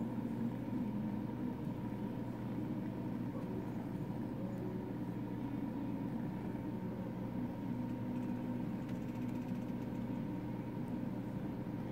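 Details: Even droning hum of an idling engine or appliance runs throughout, with no animal sound heard.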